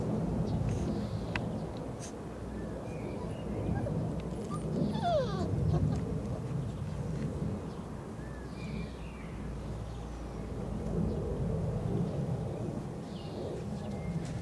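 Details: Irish Setter puppies, four weeks old, from Glory Field's H-litter, recorded 13 May 2011; a single thin whimper rises and falls briefly midway, set against steady low rumbling noise with faint bird calls high above.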